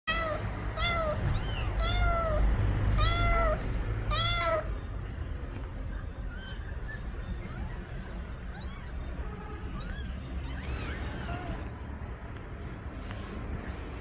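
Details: Mother cat meowing to ask for her kittens to be put in the nest: a quick series of short, arched, harmonic meows in the first four and a half seconds, then sparse fainter meows, over a steady low rumble and a constant high tone.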